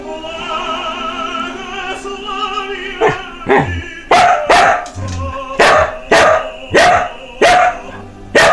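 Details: A Samoyed barking along with a tenor singing Lensky's aria "Kuda Kuda Kuda" from Eugene Onegin, recorded March 2016: opera alone at first, then about seven loud, sharp barks spaced under a second apart over the music.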